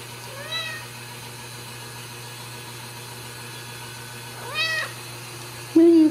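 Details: Ragdoll kittens raised in a home cattery in central Kansas, free of cages; two soft, brief meows rise and fall around half a second and four and a half seconds, then a louder low sound at the end over a steady hum.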